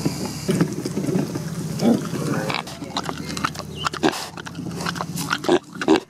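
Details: Neil, a little pig, building a nest so he has a comfy place to sleep: soft low grunts repeated through the clip, mixed with rustling of nesting material and a few sharper thuds.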